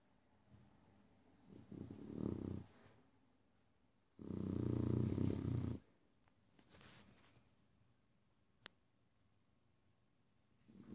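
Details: Overweight beagle snoring indoors: two deep, rasping snore breaths, the first around two seconds in and a louder, longer one near five seconds, with quiet stillness between and a faint click later.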